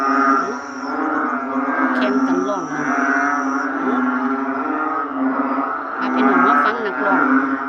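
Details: Many narrow-mouthed frogs calling together in a dense chorus: overlapping low, droning, bleat-like calls that swell and fade, forming a continuous lowing hum with a few sharper notes on top.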